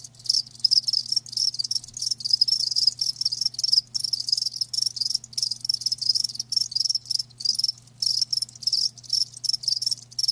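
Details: A chorus of live crickets keeps up a near-continuous high shimmering trill made of fast pulses, with brief gaps every second or so, over a faint steady low hum.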